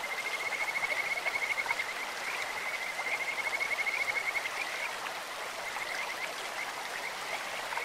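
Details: Kajika frog by a clear stream opens with quick pulsed trills in short bursts, then fades to scattered high chirps, all over a steady hiss of flowing water.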